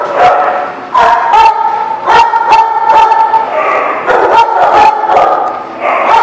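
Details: Dogs at a dog lot, recorded 19 March 2018: a dense mix of whines holding steady pitches and abrupt barks repeated roughly every half second, with people talking underneath.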